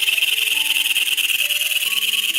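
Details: A giant katydid, a Malaysian forest insect, gives a loud, harsh, pulsing alarm buzz when in danger, said to reach 98 decibels. It makes the sound by shaking its body through holes in it, not with its mouth.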